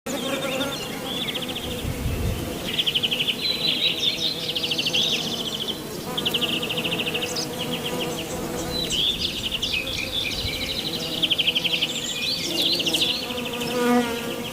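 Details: Western honey bees (Apis mellifera) on lavender flowers buzz steadily with a low droning hum, while shrill pulsing trills sound above.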